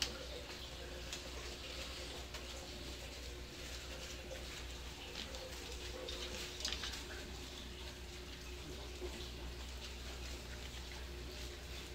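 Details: Quiet small-room background of low hum and soft watery patter, with no animal calls.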